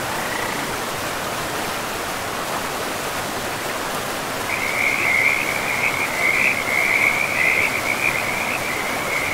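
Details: Frogs beside a river in a pristine, moss-covered forest; after a quiet start, a steady high-pitched rattling trill begins midway and runs on to the end over a constant rushing river.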